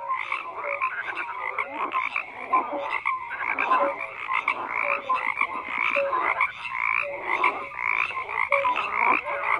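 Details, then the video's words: Frogs croaking in a dense chorus: many overlapping rasping pulses, with brief tonal notes popping out every second or so, forming a steady, unbroken wall of calls with no other sounds. "FROGS CROAKING"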